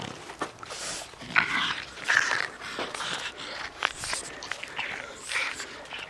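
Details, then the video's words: Chili the dog playing, giving short high whining squeaks near the start and middle amid rough, breathy huffing and scuffling noises, with a faint voice in the background. "Chili játszik"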